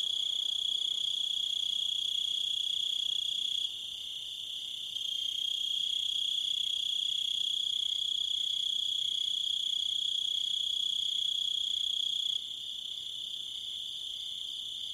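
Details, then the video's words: Crickets making a dense high-pitched trilling chorus with rapid regular pulses, dipping briefly in loudness twice but continuing without pause. "Crickets And Wolves - Nature Sounds"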